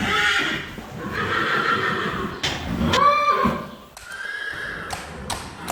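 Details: A Friesian horse gives a loud quavering whinny, a harmonic call that climbs, wavers and trails off, with another neigh starting near the end. Hooves clop on a hard floor and a person speaks faintly.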